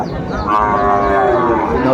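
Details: Sahiwal bull calf, about five or six months old, at a Manikganj market in Bangladesh on 30 December 2024; a long level moo begins after half a second and holds on amid crowd voices.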